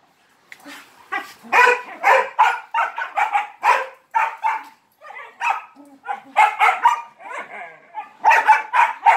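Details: Playful dog barking for attention during a romp with three Malinois: a dense run of quick, sharp barks, some paired, with brief pauses and a human voice mixed in.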